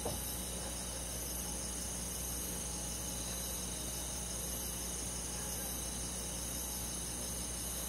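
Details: A summer-night chorus of crickets and forest insects in the countryside: continuous high-pitched layered trilling that never pauses, with a faint steady low drone beneath.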